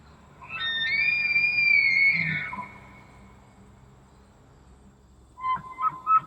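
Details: Elk bugling in Elk County, Pennsylvania: a loud, high whistled note held for about two seconds, steady and then sliding down, followed after a quiet gap by three short, higher squealing notes.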